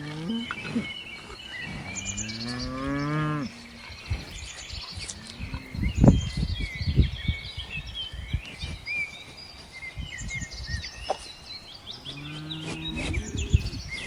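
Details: Farm cow mooing, a long rising then falling low moo with rich harmonics lasting about three seconds, another moo starting near the end. Busy bird chirping and twittering overhead, with thumps and rustling between the calls.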